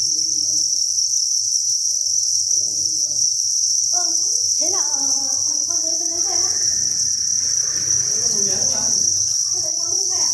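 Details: Dense chirping chorus from thousands of farmed crickets in a breeding facility: a continuous piercing high trill at constant pitch throughout, while muffled voice-like sounds rise and fall underneath in the middle seconds.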